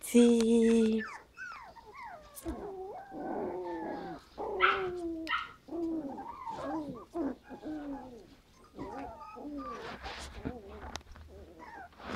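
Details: Five-week-old Havanese puppies, a litter of seven with three girls and four boys, whining and whimpering in a busy run of arched, wavering yelps and squeals after an opening steady tone, several pups overlapping.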